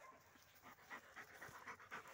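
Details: Dog panting during retrieve training, a run of soft breathy bursts at roughly four per second, quiet and steady against a low background hiss.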